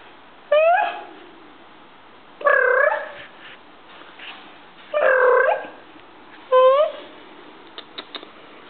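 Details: Stinky, a female house cat, indoors while calm and friendly: four clear meows spaced about two seconds apart, each a bent, harmonic-rich cry, with soft clicks near the end.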